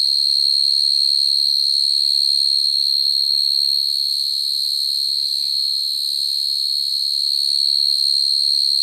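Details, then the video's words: A natural cricket calling for females at night, as used for trapping: a constant, piercing high trill that holds its pitch without pause, swelling and fading slightly in loudness, over a faint low hum. "Tiếng dế mèn kêu, dế cơm kêu dùng để bẫy dế chuẩn"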